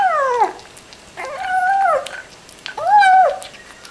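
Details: Domestic cat vocalizing as it eats: a falling meow, then two sustained tonal meows with level pitch, each roughly half a second to a second long, separated by short gaps of near silence.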